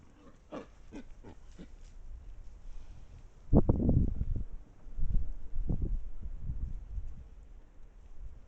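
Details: Wild boars in a group at a sandy spot in Estonia, filmed by a trail camera: a few quick low grunts early on, then loud, heavy guttural grunting bursts at about three and a half, five and six seconds.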